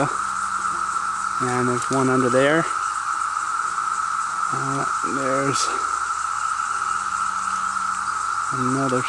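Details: Swarming cicadas in the Cumberland State Forest, Virginia, hold a constant shrill whining drone from start to end, while human voices break in briefly several times between quieter gaps.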